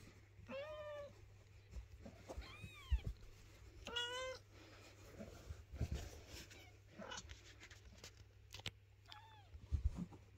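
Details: Domestic mother cat shifting her kittens and guarding their house from cleaning; several short meows come through constant rustling and handling noise, with thumps and clicks throughout.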